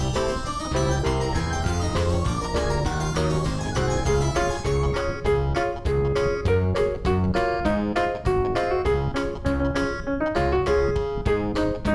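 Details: Keyboard music plays continuously, piano-like chords and a bass line over a steady beat, with no animal sound heard.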